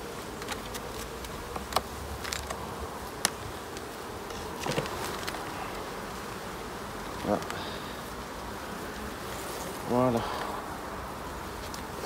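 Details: Honey bee colonies inspected at summer's end on 22 September: an even, busy hum of many bees, scattered ticks and taps, and one bee buzzing loudly past at close range near the end.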